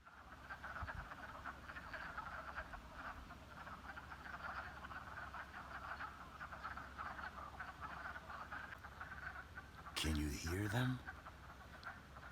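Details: A spring chorus of male wood frogs (Lithobates sylvaticus) in a pond that held floating ice days ago, calling to attract mates: a steady mass of low, duck-like clucking calls.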